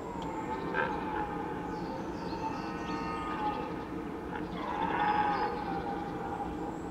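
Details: A red deer stag roars in the rut, standing in the mist on the Veluwe, a deep, drawn-out bellow rich in harmonics.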